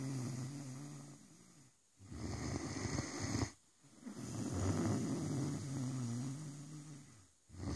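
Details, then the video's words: Great Dane Rosco asleep, sounding deep, drawn-out snores. Each rough, rattling exhale lasts one to two seconds, with short silent gaps between breaths and a low, wavering growl-like tone running through them. "Rosco the Great dane snoring"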